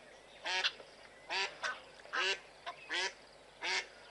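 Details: Blue wildebeest running from a male lion: five loud buzzy nasal honks, each under a quarter second, spaced about every 0.7 seconds, with a few softer calls between.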